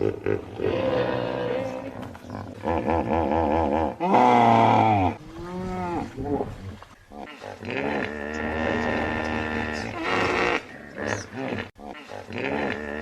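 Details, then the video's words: Hippopotamus calling in a run of loud, wavering, honking bellows with deep throaty grunts between them. The calls rise and fall in pitch and continue almost without pause. "HIPPO - Sound Effect HQ"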